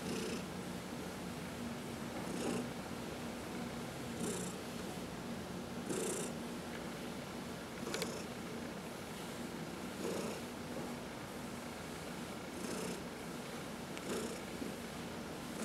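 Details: Domestic cat purring while being massaged, one of four cats, including senior shelter adoptees from the Humane Society of New York City; a rough, low rumble under a steady hiss, with brighter pulses of breath about every two seconds.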